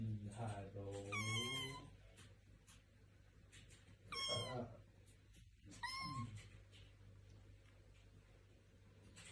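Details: Kitten giving several high, wavering meows, some rising then falling, roughly every two seconds, mixed with a deeper drawn-out cry, soft speech and a steady low hum in the room.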